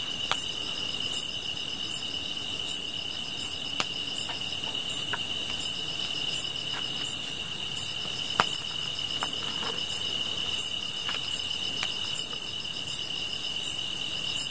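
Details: Insects calling, paired with a fire: about eighteen sharp, very high chirps at a regular pace of roughly 0.8 seconds over a constant shrill trill, with frequent crackling snaps.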